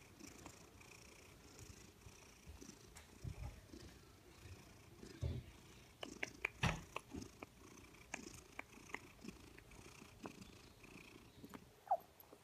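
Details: Happy female Maine Coon/Manx mix cat purring loudly, a deep, even rumble running throughout with occasional soft clicks and small rustling sounds.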